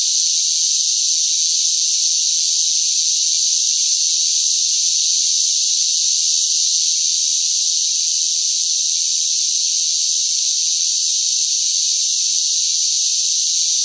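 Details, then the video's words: Summer cicadas in intense heat, a long even wall of high, sizzling buzz that keeps a constant strength from start to finish, free of other noises. "뜨거운 무더위 속 시끄러운 매미 울음 소리"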